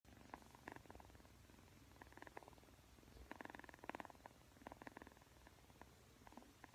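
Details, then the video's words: Persian cat kitten purring while playing with a camera indoors: a quiet, steady pulsed rumble with bursts of rapid fine ticks in the midrange every second or so. "Persian cat kitten purring, yawning, and playing with camera."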